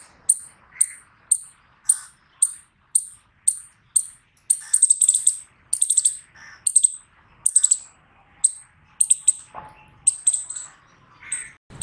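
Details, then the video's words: Eastern chipmunk calling with a steady run of sharp, high chips at about two per second, then stuttering clusters of rapid chips, over faint lower chirps and a brief low swoop near the end. "Eastern Chipmunk Voice Sound Effect"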